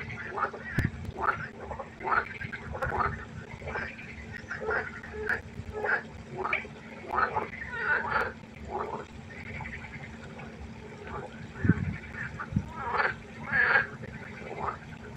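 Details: Pond frogs croaking at night, a run of short, quacking, harmonic croaks repeated in quick series by several callers, with a steady low hum and an occasional knock.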